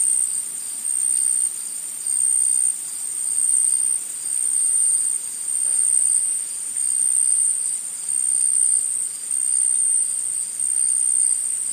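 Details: A forest insect chorus of high, ringing buzz pulses in fairly regular waves, roughly every one to one and a half seconds. The constant shrill tone carries throughout, with nothing else clearly heard.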